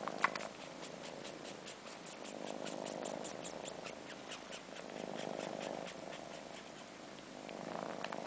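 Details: Soft purring from four-month-old kittens Sheba and Carla as they suck on Sheba's long fur, missing their mother. Clear purr swells rise and fall about every two to three seconds, with light slurping clicks above.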